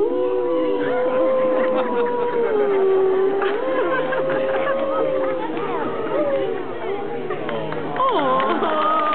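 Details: Grey wolf howling at a San Diego Zoo presentation: a long, steady, drawn-out tone that dips slightly, holds, then climbs to a higher wavering note near the end, over the background chatter of a crowd.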